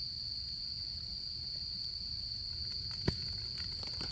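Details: Autumn insects at a campfire during the camping season, a steady high-pitched unbroken trill sounding throughout, over a low rumble, with one sharp crackle from the fire near the end.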